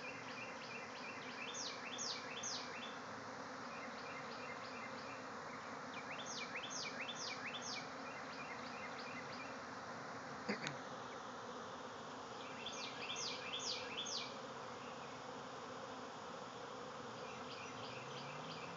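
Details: Bee swarm emerging from a hive in a backyard, thousands of insects in flight: continuous loud droning hum, overlaid by repeated clusters of bright, high bird chirps and a single sharp tap partway through.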